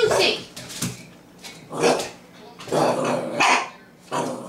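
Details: A 9-week-old Jack Rat Terrier puppy barking at her own reflection in a mirror, the first time she has barked at anything: short high yaps and growly barks in bursts about a second apart, with a person talking.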